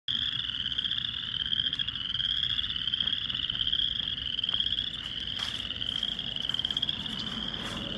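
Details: Many frogs in a small wetland on April 8, 2024 call at once, their high, rapid trills merging into a steady, pulsing ring that never pauses, with faint soft knocks and rustles beneath.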